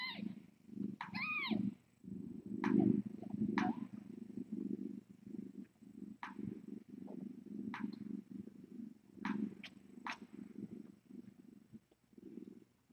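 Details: Kittens and cats at the Tiny Kittens Society rescue, picked up by a live-streaming cam on a late-night visit: a long, even, deep purr rolls on for thirteen seconds, opening with a few high kitten mews, with occasional sharp clicks.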